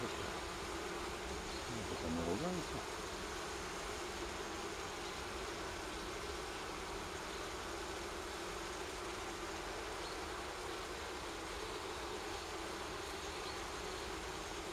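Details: Honey bees from a wild forest nest being transferred into a hive and apiary near Kiev, Ukraine, after smoking; continuous even buzzing drone, a brief murmur of a man's voice early on.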